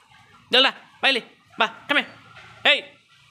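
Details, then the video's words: German Shepherd dog barking, five short sharp barks spaced about half a second apart, each with a bright harmonic burst, after a man calls to the dog in Hindi. "german shepherd male female Dog"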